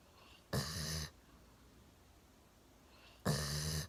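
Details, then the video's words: A one-year-old Golden Retriever sound asleep, sitting on a sofa with its chin resting on a table, snoring indoors: two loud, rasping breaths about three seconds apart, each lasting roughly half a second, with quiet room hum between. "ゴールデンレトリバー いびきをかいて大爆睡"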